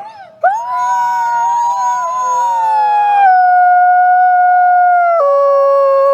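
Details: Captive-born gray wolf Nikai, an ambassador wolf at the Wolf Conservation Center in South Salem, New York, swoops up into a clear howl that slowly sags in pitch, then steps abruptly down to a lower held note.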